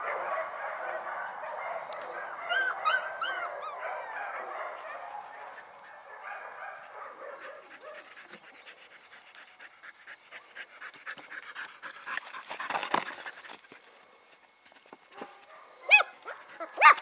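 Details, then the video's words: Puppies from Paquera giving high whimpering yips and short harmonic squeals early on, then scattered soft scratchy bursts and snuffles, with people talking in Spanish nearby. "Cachorritos de Paquera"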